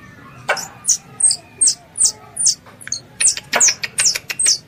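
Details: Squirrel, considered a pest, calling its mother for ambush hunting: a short series of high, downward-sliding chirps about two per second, speeding up toward the end, with a couple of sharp clicks.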